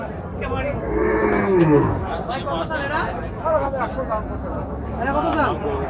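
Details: Cattle at the crowded Kochukhet cattle market in Bangladesh, 2024, ahead of Eid qurbani; a low drawn-out moo that slides downward, over steady crowd chatter and background music.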